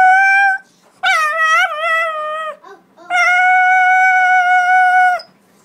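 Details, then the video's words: Dog "talking" with clear tonal howls: a short steady note, then a wavering, warbling howl, then a long even sustained howl of about two seconds, indoors. "Talking dog"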